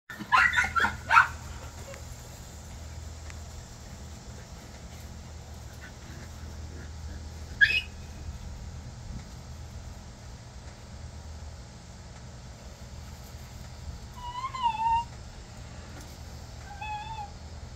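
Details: Miniature Pinscher puppies attacking a Belgian Malinois give a quick run of sharp yips, a lone bark, then thin whines; Miniature Pinscher.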